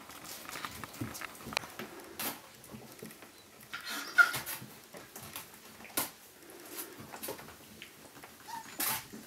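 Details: Azawakh puppies from litter G, recorded 11 December 2011, make faint, soft whimpers and grunts beneath frequent sharp clicks and scratchy rustling, with a brief thin tonal squeak near the end.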